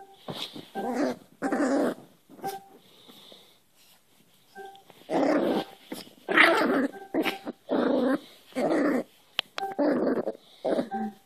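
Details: A new Cairn Terrier puppy play-fighting while being hand-wrestled indoors, giving rough, rasping growls in bursts of about a second, several in quick succession with short pauses between, plus faint high squeaky tones in the gaps.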